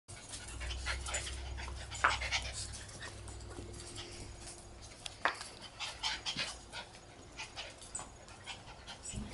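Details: A 3-month-old Schipperke puppy pants rapidly, with a couple of sharp, short yips or snorts during rough play with an American Eskimo dog.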